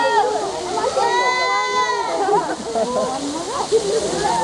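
A seal gives a drawn-out, bleating moan that wavers in pitch, with people talking nearby.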